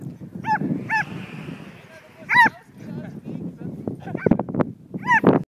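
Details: Border Collie mix bitch herding a flying kite, barking in high excitement: four sharp, ringing, slightly upturned barks, a pair near the start, one in the middle and one at the end, over steady low rustle and breathing noise.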